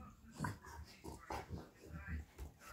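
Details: Cane Corso dog at home on a day off. Short snuffly grunts and soft whimpering breaths come in bursts about every half second to second, low and throaty, with a woman's voice faintly nearby.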